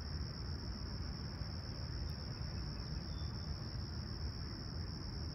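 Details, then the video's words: Crickets at sunrise on a clear, calm summer morning at Humber Bay Shores, Toronto, 28 July 2020, 20ºC: a steady, unbroken high-pitched trill under a heavy low rumble of distant traffic. "Serene Summer Toronto Morning With Chirping Crickets"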